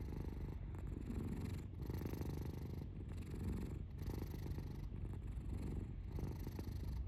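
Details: House cat purring close up, a low rumbling purr swelling and easing with each breath, about one cycle per second.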